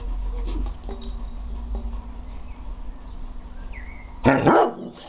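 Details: Bernese Mountain Dog during a jumping session: low background murmur with faint voices, then a single sharp, loud bark near the end, followed by quieter sounds.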